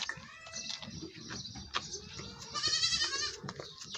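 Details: Goat at milking time with a low background of clatter and rustle, then one wavering, nasal bleat past the midpoint lasting under a second, followed by quieter shuffling.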